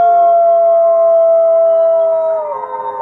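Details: Captive gray wolves at a wolf conservation centre in South Salem, New York, howl in a long, steady, mid-pitched tone that dips and wavers at the end.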